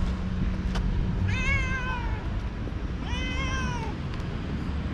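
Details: Young cat full of energy, suddenly running and playing with a moth, gives two drawn-out harmonic meows, each rising then falling, about two seconds apart, over steady low background rumble.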